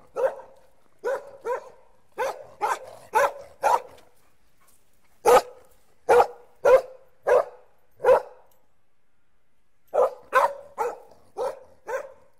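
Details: Puppies bark in quick bursts, short sharp yaps in clusters of three to six with brief pauses between groups, about eighteen barks in all over a quiet background.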